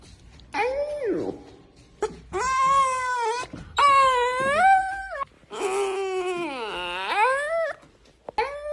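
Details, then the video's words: A puppy yawning in front of the camera, a string of drawn-out whining moans, each rising and falling like a vocal yawn, four or five long squeaky groans in a small indoor room. "Funny cute puppy yawning video"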